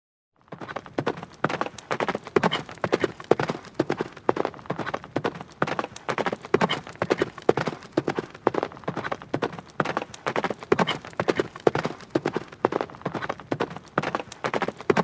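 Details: A horse gallops, its hooves striking the ground in quick, rolling clusters of sharp thuds.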